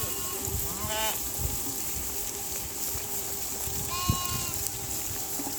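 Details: Flock of domestic sheep grazing in a dry river near a village; two short quavering bleats about three seconds apart, the second lower and steadier, against a constant droning hum and soft background noise.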